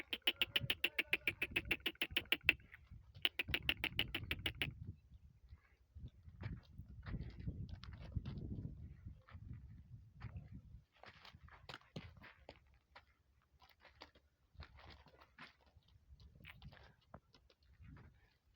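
A donkey gives two loud, harsh, pulsing brays, then rustling and scattered clicks follow.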